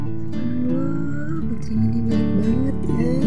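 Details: Strummed acoustic guitar music plays loudly throughout, with no animal voice heard.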